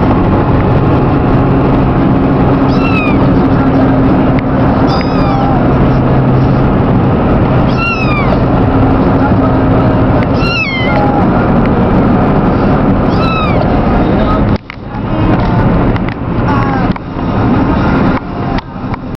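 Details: Newly adopted kittens riding in a car on the way home from Ridgeway, Virginia, giving high, plaintive rising-falling meows about every two to three seconds, six in all, over loud steady road and engine rumble with thumps near the end.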